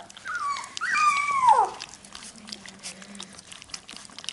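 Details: Labrador Retriever puppies at feeding time. One clear, high whine rises and then falls steeply over about a second and a half, with bright overtones. Faint low rumbling and rustle follow.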